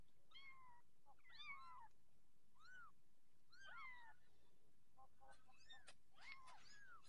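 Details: Persian kittens with orange coats calling in a string of thin, upward-then-downward mews, some doubled and overlapping, over a faint steady hum and light tapping.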